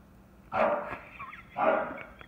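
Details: Excited English bulldog, chocolate tri merle, barking at a knocked-over bucket: two loud, rough, hoarse barks about one second apart against a quiet background.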